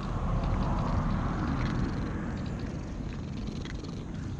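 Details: Stray cat purring while being stroked, later turning to licking; a steady low rumbling purr, close and continuous, with faint soft rustling of handling above it.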